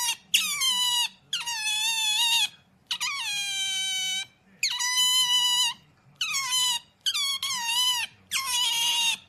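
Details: Otter giving loud, shrill squeals in about eight long bouts, each a steady high whine with many ringing overtones and a sharp rising start, separated by short pauses; faint low hum beneath.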